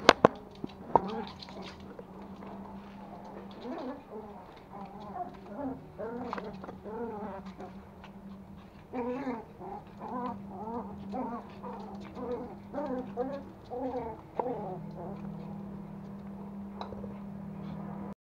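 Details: Two young toy Pomeranians, Pomo (male) and Pomy (female), playing at home in Kathmandu, Nepal, September 2017: bursts of short, high whimpers and yips that rise and fall, many in quick runs, over a steady low hum.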